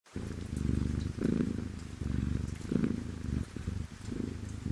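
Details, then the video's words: Domestic cat purring steadily: a deep, rumbling buzz that swells in bouts of about a second, over a faint, even hiss. "PURRING RAIN"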